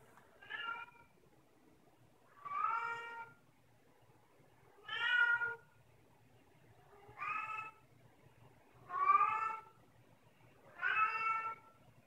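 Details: Domestic cat meowing while carrying her toy mouse upstairs indoors; six clear harmonic meows, each about half a second long, repeated roughly every two seconds in a quiet room.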